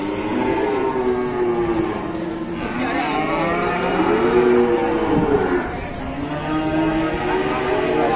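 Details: Enraged, loose Indonesian cattle bellow in long, deep, arching moos that swell and fade in overlapping waves, with faint crowd noise behind.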